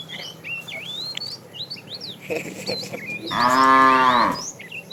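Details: Small birds chirp and twitter over a quiet rural background, then a fat cow from a tame herd, herded in the afternoon and calling the female, gives one loud moo lasting about a second.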